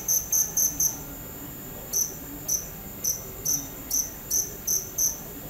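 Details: Cricket chirping in short high-pitched pulses, a quick cluster of four chirps followed by a pause, then chirps spaced roughly half a second apart; faint low background hum.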